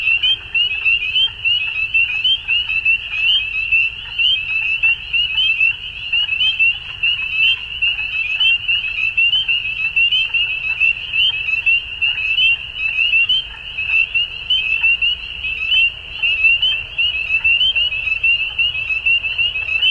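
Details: At dusk a crowd of frogs keeps up a constant high trilling chorus for twenty seconds. Rapid overlapping pulses surge and dip without pause above a faint low background hum.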